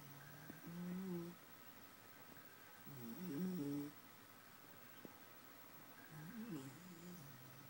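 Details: A Basenji snores in low, rumbling bursts about every two to three seconds during a nap.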